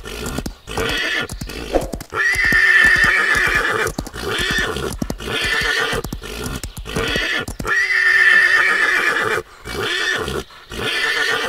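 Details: Wild stallions fighting, giving harsh, noisy screaming bursts of one to two seconds, coming in an uneven series with short silent breaks and scattered thuds between them.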